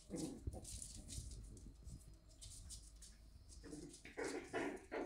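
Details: Shiba Inu puppies in the morning at a Shiba Inu and Samoyed breeder in the Netherlands. Short yelping whimpers open the recording, a quieter stretch of low rustling follows, then a cluster of sharper, higher yips comes near the end.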